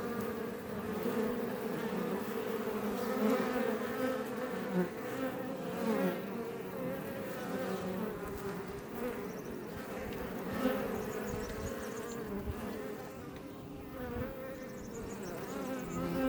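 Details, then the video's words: Honey bees of the Iberian subspecies around a Langstroth beebox near Roquetes, Tarragona, Spain, making a sustained, rich buzzing chorus, with bees flying close by in louder surges every few seconds. "Bees Healing Sound Effect HD - Up Close"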